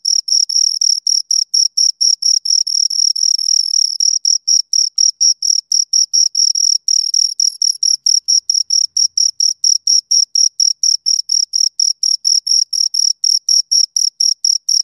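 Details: Two crickets produce a long, unbroken train of fast, piercing high chirps, several each second. Around the second to fourth seconds the pulses blur into a near-continuous trill before separating again. No background noise.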